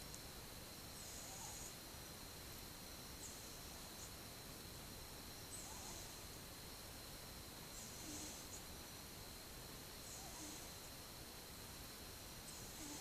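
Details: Soft rhythmic breathing of a sleeping twelve-month-old cat, recorded 8 October 2015: about six airy hisses at even intervals of roughly two seconds, with faint low murmurs between them and steady hum throughout.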